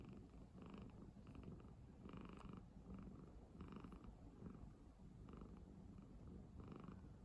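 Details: Domestic cat asleep on a person's bed, snoring: soft, rhythmic breathy pulses with a low rumbling undertone, repeating roughly every second, over a steady quiet room hiss.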